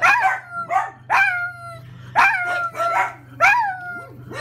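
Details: Pug reacting to a home grocery delivery with a string of six short, wailing bark-howls, each with a bright harmonic tone that bends downward, spaced irregularly under a constant low hum.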